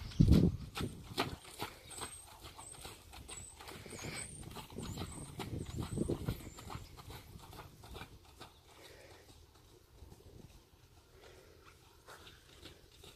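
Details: Sierd, an imported Friesian horse in North America, with steady clip-clopping hoofbeats as sharp, evenly spaced knocks, loudest in the first seconds and fading later, while faint high chirps of small birds sound in the background.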